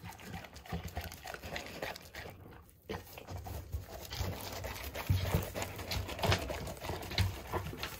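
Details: Hana, a female Golden Retriever, greedily wolfing down a big treat snack of 700 pieces at high speed. Soft, rapid, irregular crunching and lapping clicks with a few louder snaps, over a low steady indoor hum.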